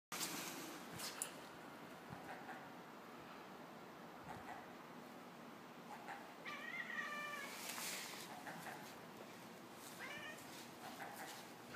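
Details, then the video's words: A Savannah cat chattering at a seagull in quick, clipped bursts, with a few brief mewing notes among them. "Savannah Cat Chattering at Seagull"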